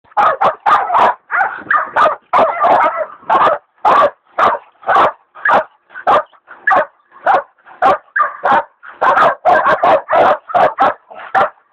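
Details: Hog dogs, a leopard dog still in training among them, baying a big sow hog: rapid, rough repeated barks and bays, about a hundred a minute at an uneven rhythm, sometimes overlapping, with no other sounds.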